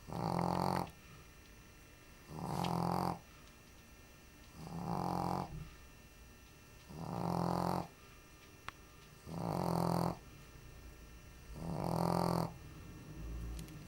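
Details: Sleeping female Shih Tzu lying on the floor between a basket and a coffee table indoors during a heat wave, snoring in loud rough low bursts, one drawn-out snore about every two and a half seconds, six in all, quiet breathing between.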